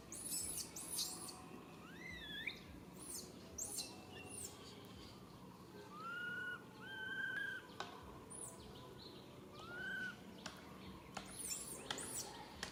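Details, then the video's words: Infant monkey calling out to its mother for help she can't provide: repeated clear whistled wails, each rising then sliding down or holding level, about every one to two seconds, with sharp high insect chirps around them. "Po-or baby monkey RAIN calling mom RANY to helps but can't."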